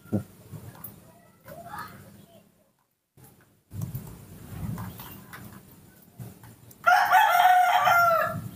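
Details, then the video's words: Hand-reared baby monkey asking for milk instead of bananas, after rain: quiet rustling and soft thumps at first, then one loud, sustained, tonal cry rising in at the end. "Not wanting bananas, the baby monkey Nomi makes a sweet call asking for milk"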